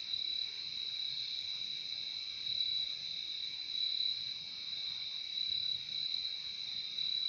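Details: Many crickets trilling together in an unbroken, high-pitched, shimmering drone, slightly swelling and fading in loudness, with nothing else clearly heard.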